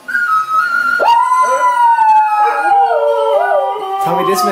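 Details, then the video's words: Two dogs howling along to their favourite song; a high steady note gives way to a sharply rising howl that holds and slowly drifts down, with a second wobbling lower voice beneath and faint music in the background. "Dogs sing along to their favorite song"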